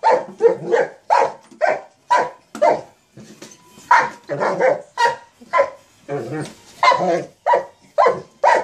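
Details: Playing with a sock monkey jack-in-the-box, a Mastiff barks in dense, uneven bursts, some barks doubled or run together, with what may be human voices overlapping.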